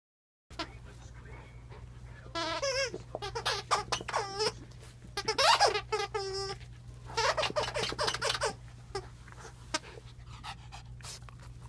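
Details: Zoey, a 4-year-old rescue Norwich Terrier at Wire Fox Terrier Rescue Midwest, plays eagerly with her toys; bursts of high, harmonic squeaky whines and squeals come in clusters over a steady low hum.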